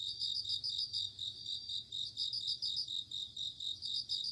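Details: Night insects in autumn, crickets and bell crickets: rapid high chirps in short rhythmic groups, several per second, above a continuous shrill insect drone.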